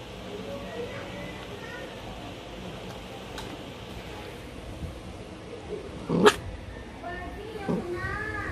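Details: Two-month-old Belgian Malinois puppy during feeding, giving a few short, high, wavering whimpers and one sharp yelp-like burst, with more rising-falling whines near the end, over a constant low background hiss.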